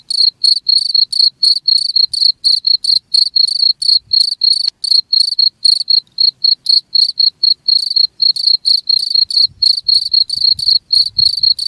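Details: Long run of piercing cricket chirps at about four per second, each a short buzzing trill, with a soft low rumble creeping in late; the recording is played to repel rats.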